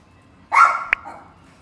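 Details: One short, sharp bark from a pet Pinscher dog, bright and clipped, followed by a brief click in an otherwise quiet indoor setting.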